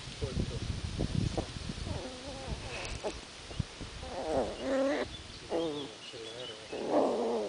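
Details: Jack Russell terrier puppy digging and making funny noises: scratchy, rustling digging sounds first, then a run of short, wavering, whiny vocal sounds and grunts, with a higher squeal near the end.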